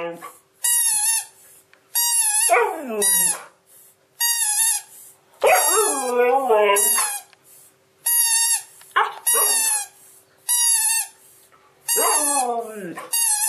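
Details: A Siberian Husky reacts to a voice tweet, giving sliding, wavering whine-howls between bursts of repeated electronic chirping tweets.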